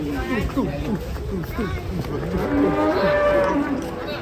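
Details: Cattle lowing in a busy setting: wavering, rising-and-falling moos overlap with human voices, ending in a longer steady lowing note.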